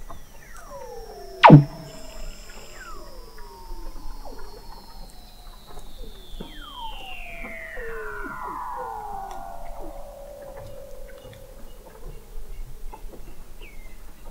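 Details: Weddell seals under thick sea ice in McMurdo Sound, Antarctica, recorded November 2017 by the McMurdo Oceanographic Observatory 21 m below the ice: a long descending whistle glides down over many seconds, crossed by short downward chirps and one sharp loud pop.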